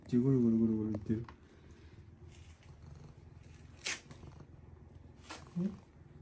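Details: Domestic cat Hinoki, cuddling with the household father late at night indoors, gives one short tonal meow, then a soft, steady low purr rumbles on beneath faint rustles and a couple of sharp clicks.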